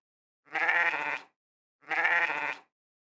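A sheep gives two wavering, nasal bleats, each under a second long, with a pause between.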